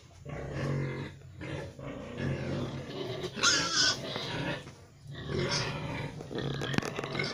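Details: Young gilt, a three-way cross of a Pietrain boar with a Landrace x Large White F1 sow, raised as a future breeding sow; low grunts and snuffling noises come in short bursts, with a brief louder squeal-like burst near the middle.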